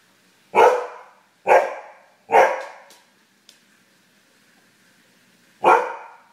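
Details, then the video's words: Husky barking in anger at a lost satellite TV signal indoors: four loud, sharp barks, three in quick succession about a second apart, then a pause and a final bark. "Husky mad at direct tv"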